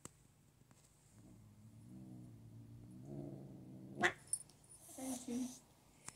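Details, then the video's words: Domestic cat growling and hissing at its owner: a low, rumbling growl slowly rising in pitch for about three seconds, then a sudden explosive hiss and a few harsher, throaty bursts. "cat hissing and growling at me"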